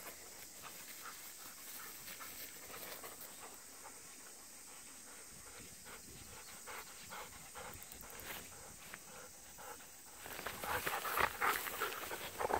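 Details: Golden Retriever panting outdoors on a hot August 11 day, part of a daily run in extreme summer heat with walks along an irrigation canal; fast rhythmic breaths, about three per second, over a steady high insect hiss, with louder rustling near the end.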